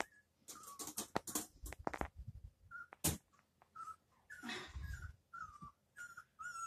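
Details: ['Male Husky puppy shut in his puppy pen, upset and wanting to be let out, gives short, thin, high whines in quick succession, mixed with clattering, scratching and rustling sounds.']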